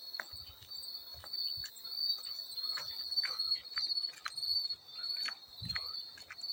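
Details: A field cricket sings a continuous, piercing high trill that holds an even pitch from start to finish, set among scattered splashing and trickling water in a calming sleep soundscape.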